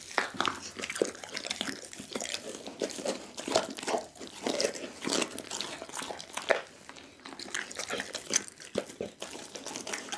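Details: Whole chicken devoured by the pit bull Doggy: dense broadband crunches and tearing bites, some louder snaps among steady munching, recorded close in a small indoor space.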